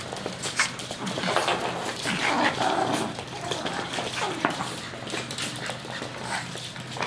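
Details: Chihuahuas, pups together with adults, giving short high yips and thin whines around the middle, set against steady scuffling and rustling noise and a low constant hum.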